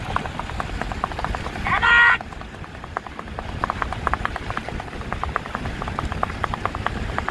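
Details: Horse moving in the rewal chal gait, linked to Kutch horse racing: a quick, even patter of sharp hoof clicks runs throughout, broken by a brief shrill whistle near the start.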